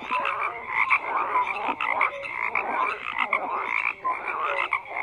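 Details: Many frogs croaking at once, raspy pulsed croaks mixed with brief higher notes, dense and steady with small dips between bursts.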